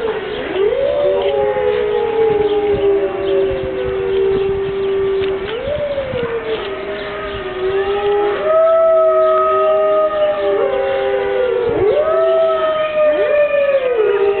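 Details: Five Siberian wolves held at Berlin Zoo howl in unison on a rainy morning; repeated sliding howls that leap upward then ease down into long level notes, with voices layered and interweaving throughout.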